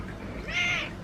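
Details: A pet cat unmoved by the affection of its girlfriend cat gives one short meow that rises and then falls, with a faint low hum underneath.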